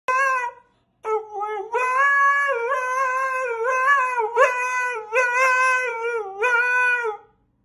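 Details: Siberian Husky. A Siberian Husky gives a drawn-out, tuneful howl, the pitch sliding up and down in wavering phrases. Short breaks separate several sustained, yodel-like notes in a small indoor space.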